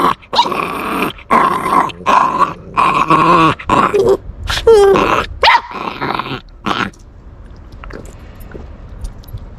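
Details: Puppy guarding its bone and refusing to let it be taken, making threatening sounds: a run of harsh, strained bursts with wavering, whiny pitch swings over about seven seconds, then quiet.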